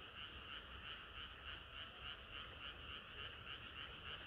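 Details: Frog chorus on a hot summer night: rapid croaks repeating about three times a second in a steady pulsing rhythm over a dense background of many other calling frogs.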